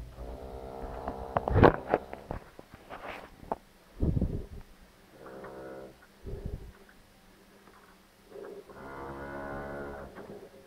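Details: Heifer during a difficult calving on a Polish farm, giving several drawn-out, harmonic moos of about a second each, separated by sharp metallic clanks and knocks from the barn.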